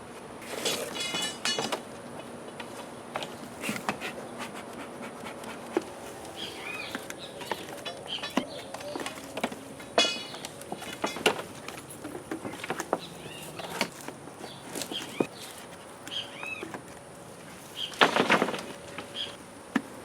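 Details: Honey bees from a hive being removed from under a wood pile on a property in McAllen, Texas, droning in a steady buzzing hum, broken by sharp clicks, knocks and handling noises of the removal work.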